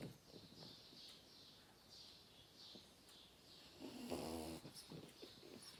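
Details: Kimchi, a four-and-a-half-month-old French bulldog puppy, sleeps deeply in an odd pose and snores softly, with faint, rhythmic breathy snores and a louder, throatier snore near the end.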